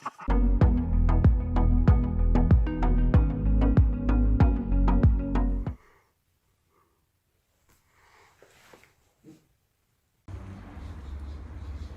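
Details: Plucked guitar-like music with regular strums stops abruptly, followed by near silence and then a low room hum.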